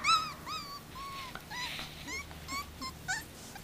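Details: Arija's thirty-day-old puppies whimpering: thin, whistled, slightly wavering cries, several in quick succession, some sliding upward, with a faint room hum behind.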